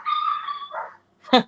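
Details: Small seven-pound rescue maltipoo barking at things that aren't there, such as an imagined squirrel or lizard: a drawn-out whining tone, then a single sharp, short bark.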